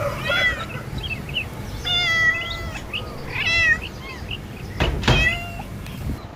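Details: Pet cat meowing indoors; a series of short, bright, slightly rising and falling meows about one every second or two, with thumps and handling noises near the end.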